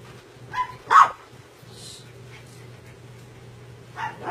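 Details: Red poodle puppy at play gives two sharp, high yips in quick succession, a brief quieter sound after them, then another short yip near the end, over a steady low electrical hum.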